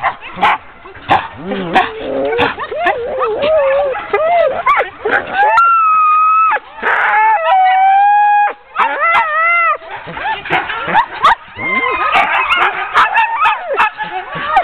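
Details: Sled dogs of a ten-dog team being harnessed for a training run, October 2010: rapid excited yips and barks mix with long, steady howls from several animals. Short pauses interrupt the noisy, overlapping chorus.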